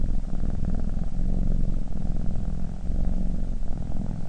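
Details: Sleeping cat snoring, a dense low rumbling purr-like drone that rises and falls with each breath throughout, with nothing else heard.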